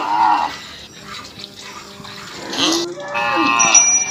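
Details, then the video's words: Indian cow on a village farm in Assam, mooing in a short harmonic low call at the start, then a longer rising and falling moo near the end, with faint background sounds between. "Funny cow sounds"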